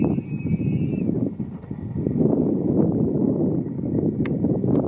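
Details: Male tule elk bugling within a herd at Point Reyes, California: a brief high whistled tone lasting about a second, slightly wavering, with a fainter overtone above, nearly buried under steady low wind rumble and rustling.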